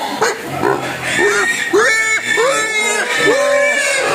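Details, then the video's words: Hungry pig crying for food: a run of short, arching squeals repeated about every half second, rising then falling, with a person speaking in the background. "Babi Nangis Minta Makan"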